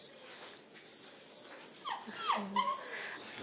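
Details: A Redbone Coonhound puppy, just woken from a nap and apparently needing to pee, whines in thin, high, wavering notes that slide downward, as if asking to go out.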